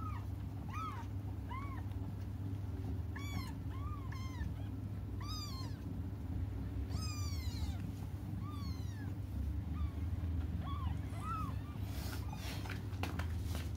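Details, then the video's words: Cats crying until their mother comes: repeated short, arched mews, some closer together, mixed with a few brief sharp clicks and knocks, over a continuous low hum. "until their mom comes just stop crying"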